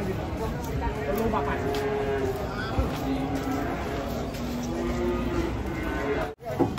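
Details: An angry cow coming down off a truck: drawn-out, level lowing tones run through the clip under near-constant men's chatter, with a sharp clatter near the end.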